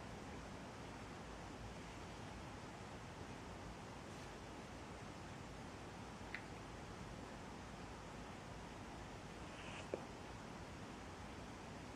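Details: Quiet, even rushing room noise with two brief faint clicks and no animal voice.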